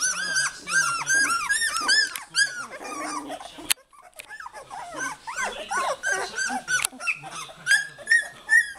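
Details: Goldendoodle puppies calling for their mother, who eventually arrives; dense chorus of high, arched whines and yelps overlapping rapidly, about two or three per second, with a short gap midway.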